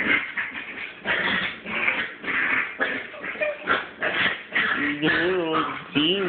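A Chihuahua puppy gives rough, raspy growling bursts, then high wavering whines, with a human voice nearby.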